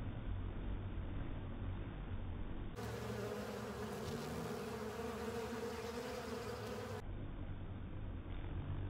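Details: Crowd of honey bees with companion insects clearing honey from a filter, their massed wings producing a continuous droning buzz that is clearest through the middle section, framed by duller, muffled humming.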